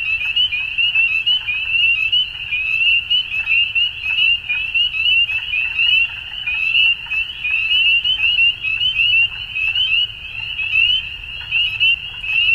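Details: At dusk a frog chorus trills continuously in a high, buzzy band, individual calls pulsing and overlapping, with a faint low background murmur throughout.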